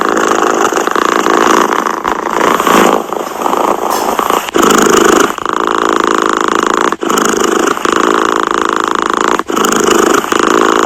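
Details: Cat purring, loud and near, its grainy rumble shifting in tone and slightly uneven at first, then settling into regular breath cycles with short gaps every two to three seconds.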